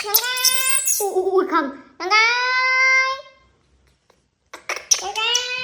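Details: Baby monkey crying indoors: long, high, harmonic wails that rise at the start and hold steady for about a second, repeated three times with a quiet gap before the last.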